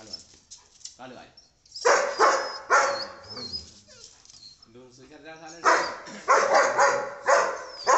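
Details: German Shepherd dog from a village scene where a bull attacks another dog, giving rough barks in quick runs of two to four, mixed with people talking over it.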